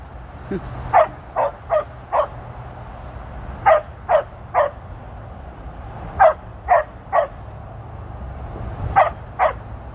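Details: On her 13th birthday, 23 February 2023, female Border Collie Tir barks while herding sheep: about thirteen barks in rhythmic bursts of three or four, separated by short pauses, with low background noise.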